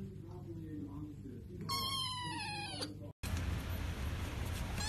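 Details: Kitten giving a single drawn-out, high, clear meow lasting about a second, over a steady low hum, followed by a brief cut and a different noisy background.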